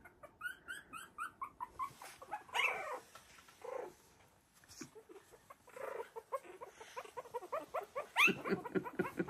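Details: A litter of three-week-old Havanese puppies playing and exploring their expanded whelping box; a fast series of high thin yips opens, followed by louder whining yelps and scuffling, with brief human voice.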